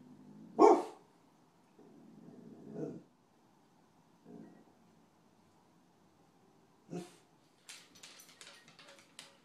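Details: Dog during a raccoon hunt; one loud sharp bark, then a few lower muffled barks and growls spaced seconds apart, followed by rustling and scraping noises toward the end.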